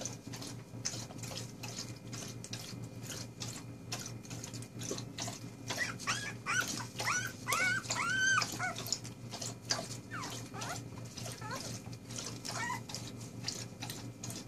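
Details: Four-day-old puppies; a burst of high, arching whimpers and squeals rises and falls in the middle, with quieter whines before and after over a constant low hum.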